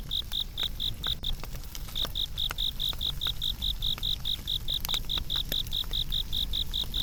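An insect chirps in high, steady pulses, several per second, over the crackle of a fire.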